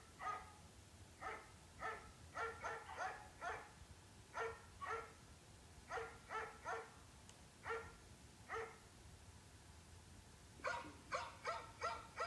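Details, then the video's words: A dog barks repeatedly, some barks single and others in quick runs of three or four, with short pauses between bouts and a faster burst of rapid barking at the close. "Dog, sounds of dogs"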